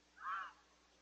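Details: A red fox in Lisbon, New Hampshire, possibly giving a mating call, gives a single short, harsh, nasal call that swells and fades in under half a second.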